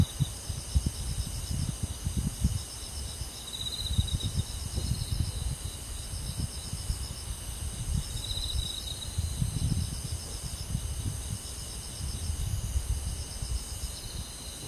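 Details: Crickets calling on a summer night in rural surroundings: beaded, high chirping trills come in waves over a continuous thin insect whine, while a soft low rustling rumble runs through.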